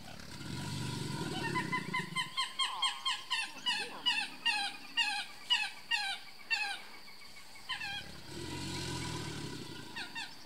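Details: Large male American alligator at Brazos Bend State Park, Texas, USA, answering another gator as mating season begins: a deep, rumbling bellow of about two seconds opens and closes the clip, with busy chirping birds filling the gap between.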